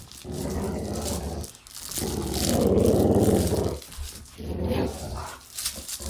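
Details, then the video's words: Growls from a dog at play, rumbling and raspy, in three swelling bursts. The middle one is loudest and longest, about two seconds. Heard indoors. "Dog Play Growling"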